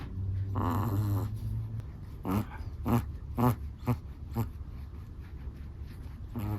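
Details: Chihuahua asleep, giving one long nasal snore and then a quick run of five short, snorting breaths about half a second apart, fading into quiet breathing.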